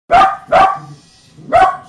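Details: A Dachshund in a blizzard on 2.10.10 barks sharply three times, short loud yaps with a pause before the last.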